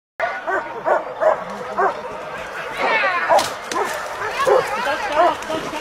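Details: Wild dogs hunting a wild boar bark and yip in quick bursts, with shrill squeals and a human voice mixed in.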